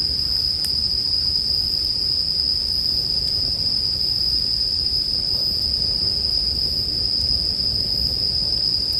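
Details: Steady, even high ringing of bell crickets runs without pause through a relaxing night ambience, mixed with faint campfire crackles and a soft low rumble below.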